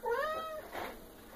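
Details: Female Maine Coon cat, eight and a half months old, indoors at feeding time after checking bags for food; one clear, slightly rising then level meow lasting about half a second, followed by a soft breathy sound.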